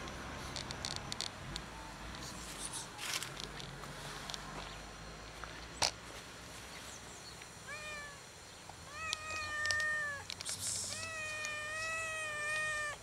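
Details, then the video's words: After several seconds of rustling and knocking, a fluffy, funny-colored solitary tomcat on a gas enclosure begins meowing for food: four level, sustained meows in quick succession, growing longer toward the end. "Fluffy funny-colored cat sits and meows on the gas enclosure and waits for someone to give him food"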